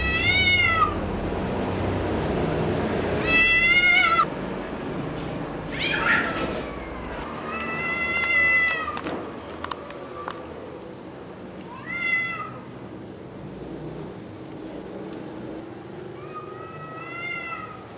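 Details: Defending its territory on Spetses in Greece, a red tomcat utters a series of short and drawn-out meows, some rising and wavering, spaced by pauses, over a background of low rumble and scattered clicks.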